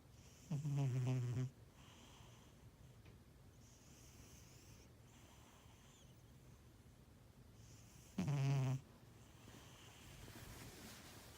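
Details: ToTole, a domestic cat, snoring indoors: two short harsh rumbling snores about seven seconds apart, low and rattling, with soft breathing and faint room hiss between them.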